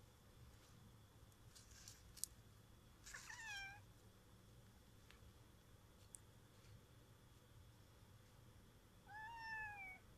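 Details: Annoyed domestic cat giving two faint, drawn-out meows that slide downward, one near the start and another near the end, separated by quiet with a steady low background hum and occasional soft clicks.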